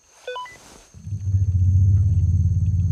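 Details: An African elephant call, a deep, steady rumble, is played over a distant loudspeaker to a young male elephant out of his sight, after a few electronic beeps; it is a familiar female's call and he shows no reaction.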